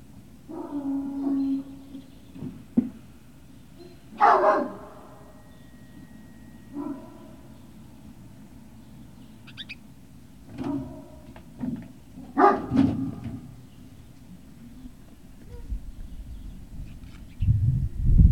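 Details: Great Dane puppies at Puppy Hill on 18 November 2018, giving scattered whimpers, yips and short barks in bursts every few seconds, with low rumbling and shuffling noise between calls.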